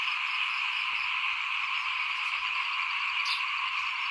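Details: Frogs chorusing in front of a house at rice sowing time in 2021. Steady, dense, high-pitched massed calling with no pauses; one short sharp chirp or squeak stands out near the end.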